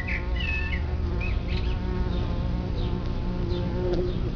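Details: Bumblebees at their nest in the ground, a colony of 50 to 200 placid workers, give a steady low droning buzz throughout, while short, faint bird chirps flicker in the background.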